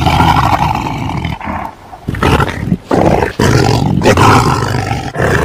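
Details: Deep, harsh tiger roars and growls that swell and fade across several sharp breaks, rumbling strongly in the low range.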